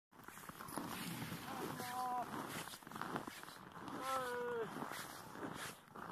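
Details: Siberian huskies at a husky farm in Rovaniemi, Finnish Lapland, giving two short wavering howls about two seconds apart, the second sliding downward at its end, over a steady noisy outdoor background.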